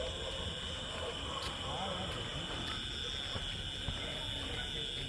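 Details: Crickets calling in a Bengal village on a rain-soaked evening just after the rain stopped; a steady, unbroken high-pitched ringing drone runs throughout, with a fainter, higher shimmer above it and soft low rumble and murmuring underneath.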